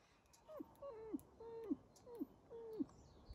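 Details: Captive wolves at the Järvsö zoo in Sweden, living beside a hotel: five clear whining yelps, each held briefly then dropping steeply in pitch, spaced about half a second apart against a quiet background.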